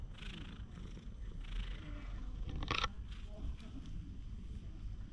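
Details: Stray cat lounging in the middle of a path in a Japanese park, filmed with a GoPro HERO8: a low, steady purring rumble runs through the whole stretch, with soft human voices and faint background noise above it.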